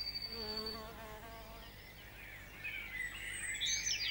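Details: A tree bumblebee (Bombus hypnorum) in UK woodland gives a brief, low, humming buzz, followed by thin high chirps from birds.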